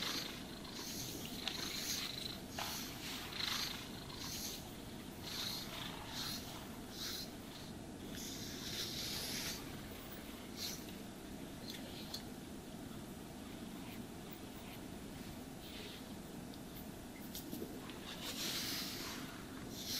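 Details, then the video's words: Domestic cat purring while being brushed and groomed, a steady low rumbling purr running throughout, overlaid by repeated swishing brush strokes that come in short hissy bursts every second or so. "Cats Purring Sounds for Sleep and Stress Relief | Cat Brushing, Cat Grooming"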